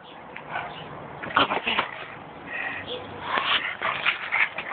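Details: Bark Vader the pug, captured on an Android phone, lets out quick excited yaps mixed with thin rising whines, the bursts clustering in the second half over a murmur of human voices.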